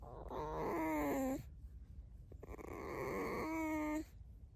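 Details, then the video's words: Alice, a pet fox kept at home, squeaking without words: two drawn-out, harmonic whines, the first longer and gently falling in pitch, the second shorter, with a quiet indoor background between them. "Алиса Лиса-Alice the Fox (Скрипит Без Слов)"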